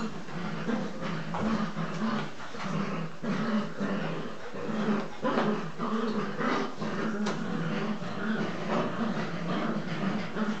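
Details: English Cocker Spaniel puppies, nine weeks old, romping together in their evening play session, give a steady run of low, rumbling play growls that pulse on and off through the whole stretch, with scuffling in the background.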